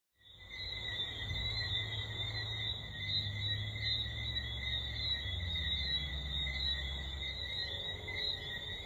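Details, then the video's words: Tree frogs chorusing at night-time serenade at the Eclipse at Half Moon resort in Jamaica, Caribbean: steady layered high whistling tones at several pitches, continuous, over a low hum. "A Tree Frog Serenade at Half Moon in Jamaica"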